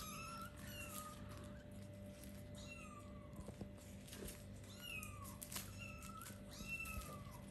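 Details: Four-week-old kittens at play mew repeatedly, high thin calls sliding downward, several voices overlapping in quick succession over a constant low electrical hum.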